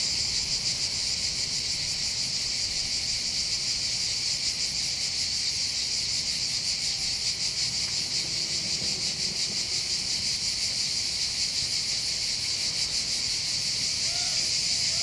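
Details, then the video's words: Chorus of cicadas over the Bandol harbour hillside, Var, Côte d'Azur, France. A continuous shrill, sizzling hum with a gentle pulsing beat fills the whole stretch. Only a faint low background murmur lies beneath. "accompagné par le champ des cigales"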